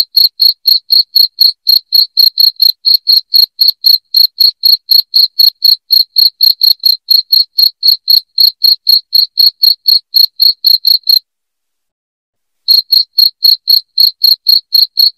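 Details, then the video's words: Piercing cricket chirps used as a rat deterrent at home: rapid, evenly spaced high pulses at about four per second, broken by a pause of roughly a second and a half before resuming. "SUARA JANGKRIK NYARING"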